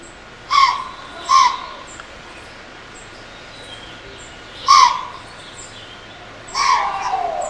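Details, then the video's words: Pennsylvania white-tailed doe confronting a human intruder with a camera, stomping and licking her nose: four abrupt, breathy snorts, the first two close together, then two more spaced a few seconds apart, over steady faint hiss. "Whitetail Doe Stomps and Snorts at Intruder"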